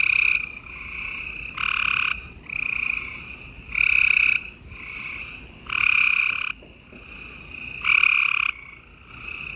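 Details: Gray treefrogs calling at night in spring, April 28, 2020, in Houston, Texas: overlapping musical trills from several frogs, each burst lasting about a second, alternating loud near callers with fainter distant ones in a continuous chorus.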